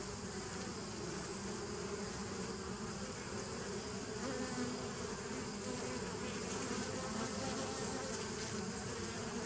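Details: Bees recorded on 27 September 2018, a dense, steady buzzing hum with layered low tonal bands and a broad hiss above, unbroken and even in loudness throughout, with no other clear sounds.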